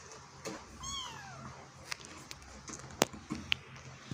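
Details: A kitten struggling to get out of a hole lets out a short falling meow early on, followed by a series of sharp taps and clicks.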